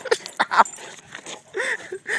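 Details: Two English Mastiffs play fighting, battling like lions: short bursts of harsh growling and yelping vocalizations, some with arched tonal whines near the end, amid a person's voice and camera handling.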